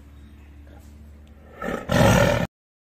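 A tiger gives a single loud, harsh roar after a low background hum.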